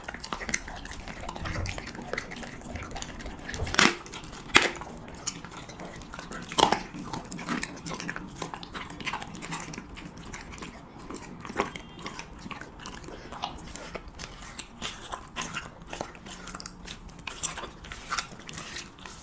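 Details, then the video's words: Husky (Siberian) eating cheese meat, recorded closely as ASMR mukbang: soft continuous smacking and chewing with occasional sharper bites, and a faint clink like a dish or utensil. "[ASMR MUKBANG] HUSKY REVIEWING CHEESE MEAT"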